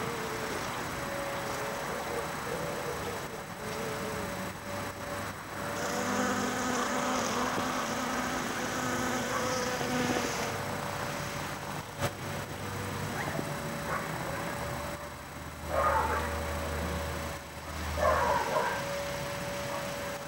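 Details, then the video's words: A bee pollinating New York asters in a backyard garden in autumn on a cold day: a steady droning hum swells for several seconds, then fades, over broad outdoor background noise with brief higher sounds near the end. "A bee on a New York aster"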